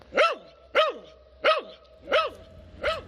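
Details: Bada, a 12-year-old male mixed-breed dog adopted from a shelter at three months old in March 2009 after being found wandering a road, barks five times in a steady series, one sharp arched bark roughly every 0.65 seconds, over a faint steady hum.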